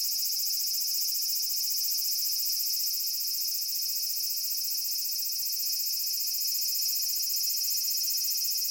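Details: Large brown cicada (Aburazemi) in a persimmon tree in Japan, giving a loud, steady, sizzling buzz that stays high and unbroken throughout, with only a faint rumble of background noise beneath.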